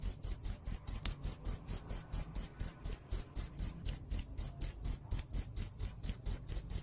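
A cricket chirps steadily, a high, clear, ringing trill broken into quick, even pulses.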